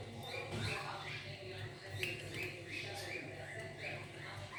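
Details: A hungry kitten cries in short, high rising-and-falling mews, about two each second, over a constant low background hum.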